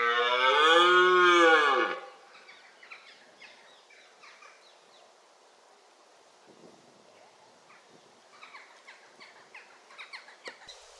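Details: A red deer stag gives a single arched, harmonic roar of about two seconds during the October rut. Quieter scattered ticks and chirps follow.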